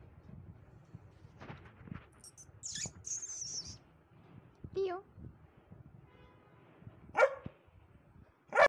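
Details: Black Labrador dog with a bone, behaving naughtily: quiet grumbling and whining sounds, a brief whine, then sharp high bark-like bursts near the end, with a person speaking softly in the background.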